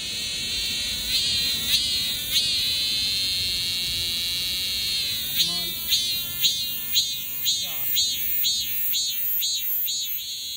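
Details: Male cicada singing: a dense, high buzzy drone that holds steady, then breaks in the second half into rhythmic pulses roughly twice a second, each a short rasping surge over the continuous hiss.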